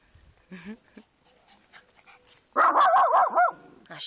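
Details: A protective Shih Tzu reacting to a garden gnome: soft human speech first, then a burst of rapid yappy barks with wobbling pitch for about a second, followed by a faint growl.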